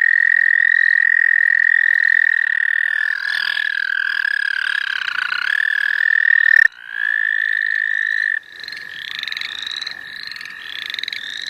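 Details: Frog chorus at the St. Olaf College Natural Lands while frogs are being caught: a loud continuous high trill with shifting overlapping voices, then sharp breaks, after which quick upslurred peeps recur about four times per second.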